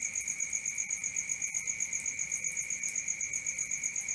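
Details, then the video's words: A cricket trilling at night, its piercing high note held without pause while the loudness throbs in rapid, regular beats, accompanied by a weaker upper ring and faint low murmur. "Cricket 1 hour for Sleeping & Relaxation, Black Screen, ASMR, Dark Screen Nature Sounds"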